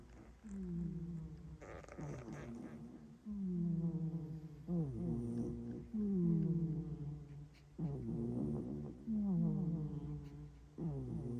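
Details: Milo the cat sleeps in a Haribo box, snoring and sleep-talking, with an echo effect added. Nasal, voiced snores fall in pitch and repeat roughly every one to two seconds, with rich overtones.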